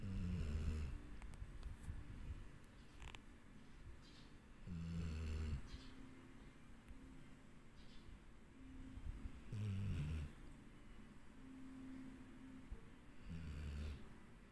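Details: Sleeping dog Dixie snores steadily, each deep, low rasping breath arriving roughly every four to five seconds, with soft breathing noise and faint room hiss between snores.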